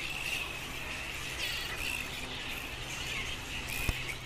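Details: Flying foxes, giant fruit bats, at a colony in Lansvale, Sydney: scattered shrill squealing bursts rise above a steady chattering din, with a low constant rumble and hum beneath.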